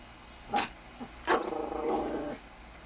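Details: Miniature Pinscher dog meeting a rabbit gives one short, sharp bark, then a longer drawn-out, rough, wavering bark-whine lasting about a second, indoors with light background hum.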